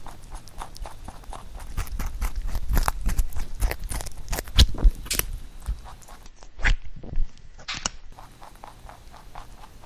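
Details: Pet rabbit eating a songpyeon made from carrot for the Chuseok holiday; quick crunchy bites and chewing about four per second, louder in the middle, with a brief pause and a few sharp crunches near the end.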